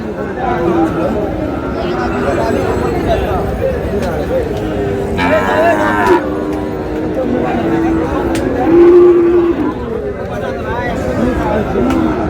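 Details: Sahiwal bull calves at a busy cattle market, bought by a farmer from Dhaka; a drawn-out low moo near the ninth second rises over constant crowd chatter and bargaining voices.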